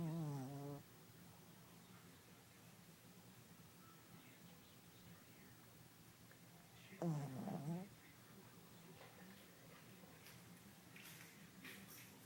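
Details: Shih Tzu snoring in its sleep. One short harmonic snore opens the clip and a wavering second snore follows about seven seconds later. Soft rustling is heard near the end.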